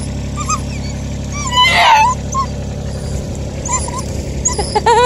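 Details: A Bluetick Coonhound mother whines in high, wavering whimpers broken by quick excited yips on a chilly morning, eagerly greeting her daughter pup, who is back after a night away. A low background rumble runs underneath.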